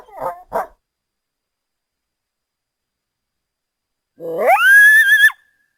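A coyote gives two sharp barks, then after a pause a single howl that rises steeply and holds high.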